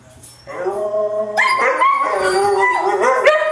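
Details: Three white huskies howling together: one long, steady wavering howl joined after a moment by higher, sliding voices, forming a loud overlapping chorus.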